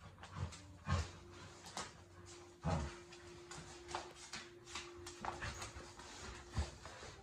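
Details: A Miniature Australian Shepherd gives short, low growling bursts while playing tug of war with a new toy, as a person speaks nearby.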